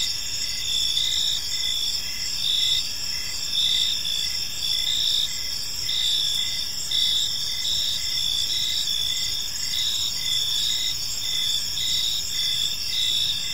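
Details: Crickets chirp steadily through a calm evening in a park, a high, shimmering chorus of repeated pulses, several voices overlapping in a continuous wash with light ambient hiss.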